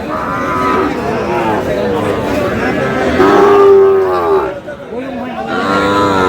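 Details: Sahiwal bull calves for sale at the start of the Aftabganj cattle market in Dinajpur, Bangladesh, on 25 July: several drawn-out, wavering moos, some rising then falling, over constant crowd chatter and men's voices.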